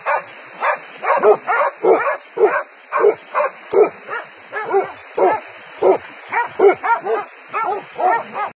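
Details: Hunting dogs closing in on a wild boar, barking in a fast, insistent series of short rough barks, nearly continuous, with several dogs overlapping over a constant high hiss.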